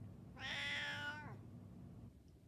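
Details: A 14-year-old Siamese cat indoors gives one drawn-out, harmonic-rich meow of about a second, falling slightly at the end, answering an owner repeating the word cheese; quiet speech before and after.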